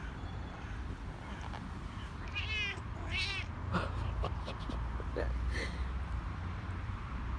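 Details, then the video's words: Male cat in heat making odd vocalisations: a couple of harmonic wavering meows mid-clip followed by short chirpy bursts and clicks, over steady low rumbling background noise. "male cat in heat, makes funny noises"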